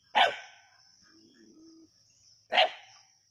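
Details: Native dogs hunting a snake at Keezhadi: two sharp, loud single barks about two and a half seconds apart, with a faint low hum between them and a constant high-pitched whine in the background.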